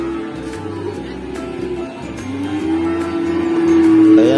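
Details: Music plays with a sustained tonal melody over a rhythmic bass pattern, with some speech and vehicle noise and no clear animal sound.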